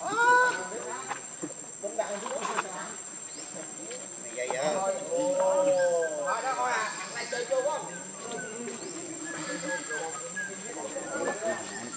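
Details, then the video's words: Baby monkey Leo, hungry and begging its mother for milk, gives drawn-out wavering cries that rise and fall in arcs, some bunched in quick runs, over a steady high insect chorus. "Rainbow Very Angry Need Milk Much I Smart Cute Lovely Baby Monkey"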